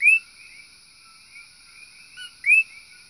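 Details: Invasive common coqui frogs chirp on a back porch outside a bedroom in Puna, Big Island of Hawaii, calling late into the night: loud, whistled, upward-sweeping chirps about two and a half seconds apart.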